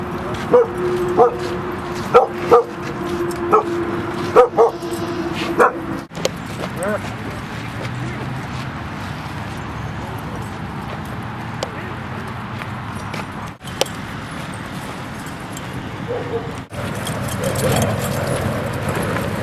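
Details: Rosy and Rocky at play in Seal Point Dog Park by San Francisco Bay, February 10, 2015: a run of short barks roughly every second for about five seconds, then people talking over steady outdoor hum.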